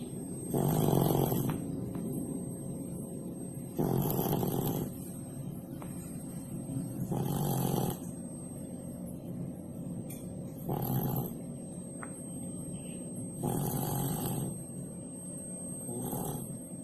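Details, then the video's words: Pak Pak the cat snoring in sleep under a cooking stove: six low, raspy snore breaths arriving roughly every three seconds, some louder and some softer, against a constant faint hum. "THE SNORING CAT"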